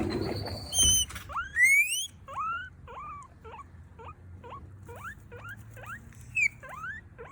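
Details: Pet female guinea pig squeaking and crying while begging for food: a run of short, sharply rising whistled squeaks about every half second, after a few longer, higher wheeks at the start.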